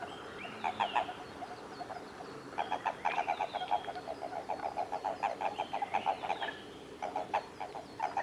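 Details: Toads in amplexus, Japanese common toad, at Kawaguchiko Field Center, Japan, 22 April 2018. Strings of fast, low, knocking pulses arrive in several bursts separated by short pauses, with thin falling whistles above.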